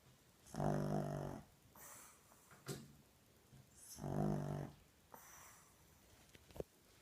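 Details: Ted the pug snoring loudly indoors: two long rasping, rumbling inhalations with harmonic buzz, each about a second, separated by quieter snorts and soft breaths.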